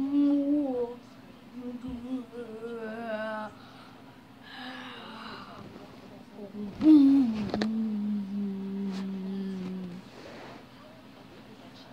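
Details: A person talks and hums in a small indoor room, the voice gliding in low tones with pauses between phrases; no animal sound is heard.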